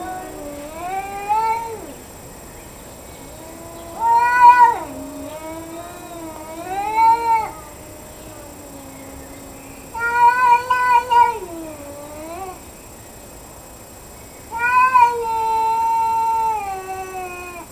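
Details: Two domestic cats in a confrontation, one wailing plaintively in a near-daily ritual; long overlapping yowls, one low and one higher, sliding up and down in bursts about every three seconds with quiet pauses between.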